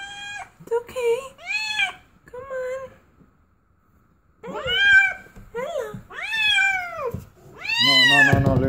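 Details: During her first delivery, a domestic cat utters short meows, then after a pause several longer, louder arched wails, while a person talks gently over the final cry.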